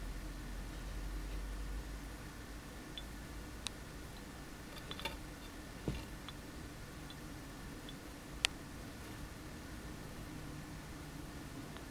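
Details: Steady indoor hum with a few scattered sharp clicks and ticks, and no animal voice heard.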